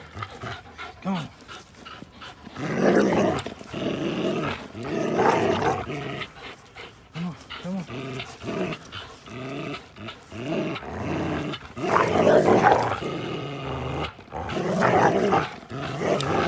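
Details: Two dogs at play, an American Pit Bull Terrier named Linus and a blue Belgian Malinois cross named Buddy, recorded April 1, 2019; rough rumbling growls in bursts, loudest around three, five, twelve and fifteen seconds, with panting and scuffling between.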